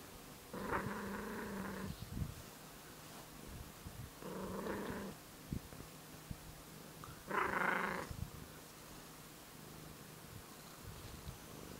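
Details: Tortoiseshell cat mixing growl and purr: a faint steady purr carries three throaty, harmonic-rich growls of one to two seconds, spaced several seconds apart, with quiet pauses between.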